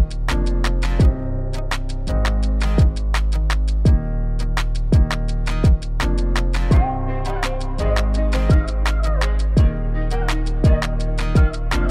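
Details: Rhythmic instrumental music with deep bass, regular percussive beats and plucked notes, with no animal sounds heard.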